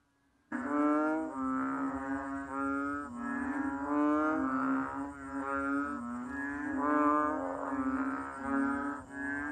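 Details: Kaloula pulchra, the banded bullfrog or chubby frog, gives a sustained low lowing drone, rich in harmonics, swelling and wavering continuously with no clear gaps for about nine seconds.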